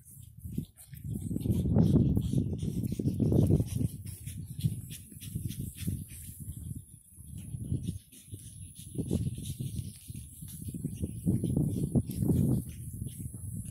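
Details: Playing pug pups, nine weeks old and born 17 August 2019, in Cheyenne, Wyoming, give rapid low grunting snorts, about three or four a second, in loud clusters separated by brief quieter gaps, with scuffling throughout.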